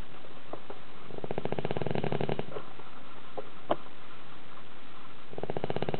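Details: Sleeping dog indoors in a tilted house, its snoring said to be as loud as a grown man's. There is a long vibrating rattle, a few soft sniffs and a click, then the next snore begins.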